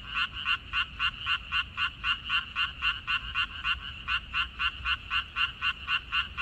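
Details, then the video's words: Frogs calling in a water dropwort field, 14 May 2021. A quick, metronome-like series of grating croaks, close to four each second, keeps on without pause across the whole stretch, with light low background noise. "고향 생각 나게 해주는 개구리 소리, 미나리밭의 그놈들, Croaks of Frogs, Sounds of frogs, Song of frogs"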